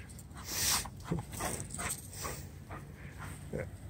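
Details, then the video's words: Giant Schnauzers scared of a cat, indoors, giving brief scattered whimpers and yelps, including one short low whine, against a steady high electrical hiss. "Giant Schnauzers scared of cat"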